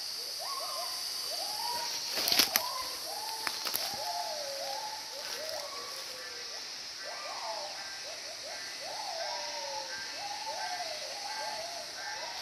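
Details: At least five or six unseen gibbons, each with a different voice, call together in a forest on a strongly sunny day, in overlapping rising and falling whoops over a steady high insect drone; they are regularly heard there.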